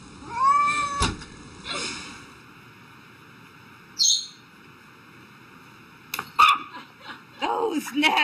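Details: Domestic cat startled by something unexpected: a brief, rising-then-level meow near the start, then quiet. Short sharp noises and a few more squeaky cat sounds close the clip.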